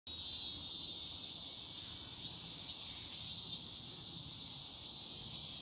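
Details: Cicadas at Semiwon in Yangsu-ri, Korea, sing on the afternoon of Wednesday, 14 August 2019. They give a steady, high, shimmering buzz without a break over a faint low rumble of distant background noise.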